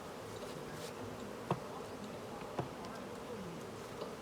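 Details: Honey bees at a hive during honey harvest while beekeepers collect honey; a steady, dense hum of many bees, with a few sharp clicks and knocks.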